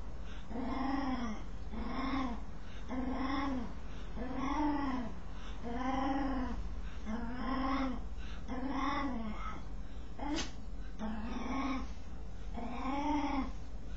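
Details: As it scratches itself, a dog produces a steady chain of about ten rising-and-falling, whiny moans, spaced roughly 1.3 seconds apart, with one brief sharp click midway; low background hum throughout.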